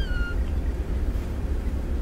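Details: A domestic cat at a pet store gives a brief, high, thin meow that slides slightly downward, over a low indoor rumble.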